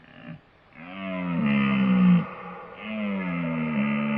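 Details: Deer calling with low, drawn-out moaning bellows, strongly harmonic and slightly wavering, two long calls following a short opening grunt, one of four deer sound types presented.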